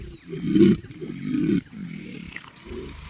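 A caiman gives deep, rough, growling bellows in three rumbling bursts, the first two loudest, each lasting about half a second.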